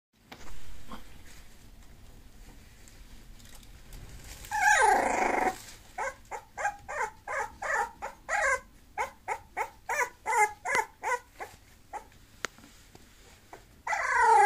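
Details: Bulloxer, a mixed-breed dog, gives a brief whine, then a rapid run of short, high, tonal yips of about ten per five seconds, followed by a final rising whine indoors.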